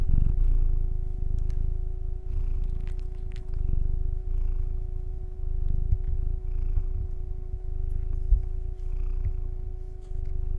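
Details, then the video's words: Steady, rumbling purr from a male pet cat, close and loud, rising and falling with each breath, with a few soft clicks and a faint constant hum. "Relaxing Cat Purrrrrrrr"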